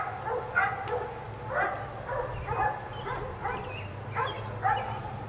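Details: Four neighbourhood dogs left outside all day, barking in short, distant bursts roughly every half second to one second, some yappy and high, over a steady low background hum.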